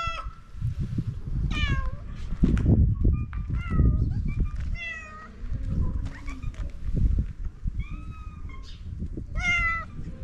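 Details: Homeless street cats in Morocco begging for food, giving short rising and falling meows scattered through, over steady low rumbling background noise.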